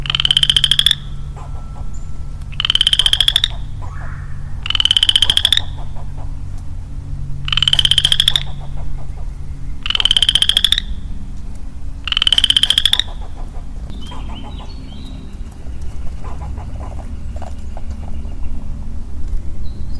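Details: Lone male western chorus frog in woodland in early spring, giving a series of rising, pulsed, rattling trills about a second long, repeated roughly every two seconds. Six trills, then fainter calls of other woodland creatures and a low background hum.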